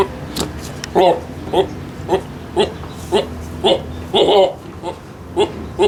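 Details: A Boer goat gives a string of brief, hiccup-like nasal bleats about twice a second over a low steady hum; the unusual noises may be linked to a female Boer goat being ill.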